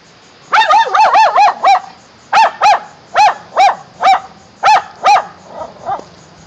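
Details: Shetland Sheepdog barking at a sign: a rapid series of sharp, high, clear barks, five close together, then evenly spaced single and paired barks, about twelve in all, ending with two softer ones.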